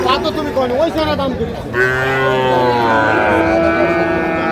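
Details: Sahiwal breed bull calves on sale at a Chattogram cattle market, Bangladesh, 7 March 2025: men talking at first, then a long, level, steady moo holds for nearly three seconds over the market murmur.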